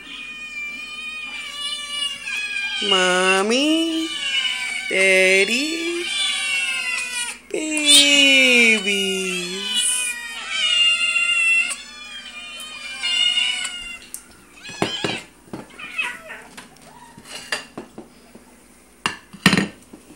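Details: Indoor cat family, Orion the father, Princess the mother and their kittens: drawn-out yowls sliding downward, repeated three times, over a chorus of high kitten mews, fading into scattered clicks and knocks near the end.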